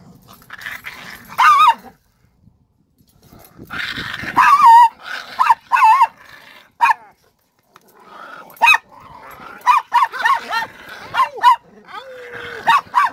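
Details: A dog gives high, wavering whines and yelping howl-like cries in short bursts separated by pauses, coming faster toward the end, with one lower, steady drawn-out whine near the close.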